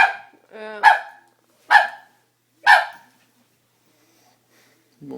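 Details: A frightened Doberman reacting to a prank: a short tonal whine-like sound, then three sharp, explosive barks about one second apart, followed by silence and a faint low sound at the end.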